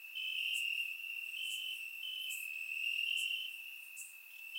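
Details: Night chorus of crickets in grass during a warm Bulgarian summer, surround-miked: unbroken shrill trilling with slight pitch steps as individual insects overlap, plus faint rhythmic ticks higher up.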